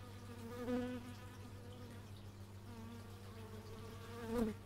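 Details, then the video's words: Bees in flight near an x/y stereo microphone outdoors: two individuals pass close, each a rising then fading buzzy tone with clear harmonics, the second louder near the end, over a steady low mechanical hum. "Bee movie but its just bees"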